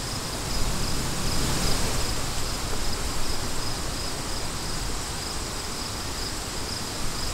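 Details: Steady wind dominates the low end while crickets add a thin, high trill of quickly repeated chirps throughout.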